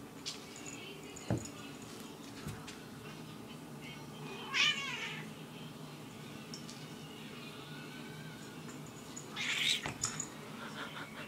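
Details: A moody black and white domestic cat gives two short, rising, strained meows several seconds apart over a quiet background hiss, with a few thumps and clicks in between.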